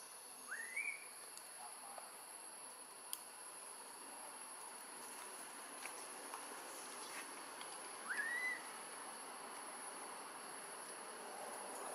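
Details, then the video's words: Hungry newborn macaque, taken for a long time by Tarzanna, cries for milk in Siem Reap Province. Two short upward-sweeping squeals, one early and one late, are separated by a long quiet gap filled with insect-like hiss. "Newborn Baby Monkey Crying Loudly Hungry Milk"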